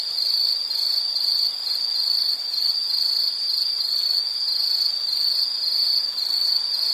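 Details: High, constant insect trill from a calming nature-sound recording, evenly pulsed and unchanging in pitch over the whole stretch, with only faint hiss beneath.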